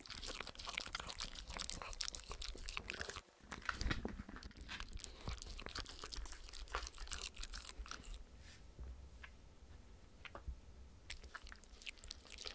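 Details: Spencer, a Shetland Sheepdog, and his friend Oreo, a miniature Schnauzer, lick peanut butter and coconut oil treats from a clear acrylic sheet. Rapid wet crunchy smacking is dense for eight seconds, then thins to sparser clicks. No voices.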